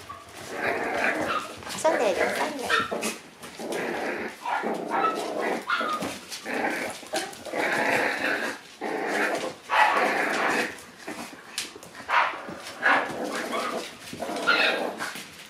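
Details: Two-month-old Shiba Inu puppies grown rowdy, playing together: rough, noisy growls and snarls in short bursts with pauses, a person's voice now and then.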